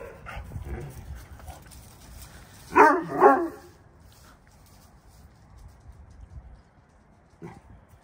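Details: Two quick, gruff barks close together from Vern, a Saint Bernard rescued via St Louis Stray Rescue, answering neighbourhood dogs; a much fainter single bark follows several seconds later over low outdoor rumble.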